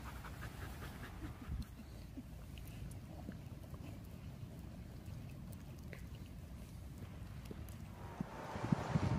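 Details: Sherpa the dog, who lives in a van, pants in quick soft breathy puffs, roughly three a second, with a short louder rustle and knock near the end.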